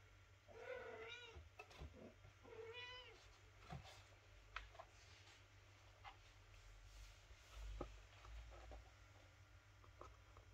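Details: A mother cat tries to rouse her sleeping kitten for feeding; two wavering meows in quick succession open the clip, followed by quiet rustling, soft clicks and shuffling sounds for the remaining seconds.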